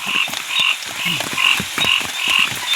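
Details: Several frogs croak together at night during heavy rain in a forest, each a brief, high, grating note repeated in quick, steady pulses, with a soft patter of rain beneath.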